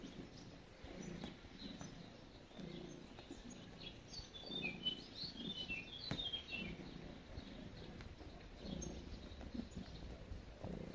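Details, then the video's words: Kneading cat purrs in a calm, rhythmic low rumble, each pulse lasting under a second and recurring evenly, while background birds tweet in short high notes. "Cat Making Biscuits And Purring"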